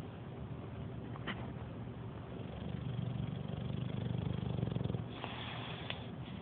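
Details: Seven-year-old male English Bulldog asleep on his couch, lying on his back, snoring loudly; a deep, rough low rumble swells for about three seconds mid-clip over a steady low background hum, with a couple of faint clicks.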